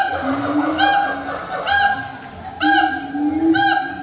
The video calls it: Siamang, One of endangered animals that have Very Loud Voiced